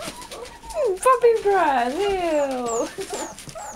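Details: American Bulldog and Siberian Husky mix puppy, one of eight in a litter, gives a long wavering whine that dips and rises, stretching into a drawn-out howl-like cry over faint background rustle.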